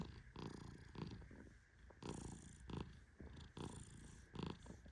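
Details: Sleeping Persian cat named Tehran, petted gently as he naps, gives low raspy snores in uneven pulses, some stronger and broader, separated by quieter breathing and soft handling noise.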